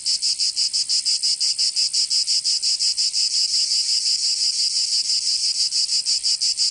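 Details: Provençal cicadas in summer, southern France, producing an intense high-pitched buzz broken into regular rapid throbs, roughly three per second, steady from start to finish.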